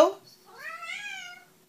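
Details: House cat answering a greeting with a single clear meow that rises and then holds steady for about a second, just after a person says hello in a small room.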